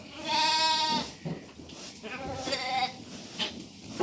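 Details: Lambs at evening feeding time, between suckling their mothers and eating feed, bleat loudly with a long wavering harmonic cry at the start, then shorter bleats follow over a rustling barn background.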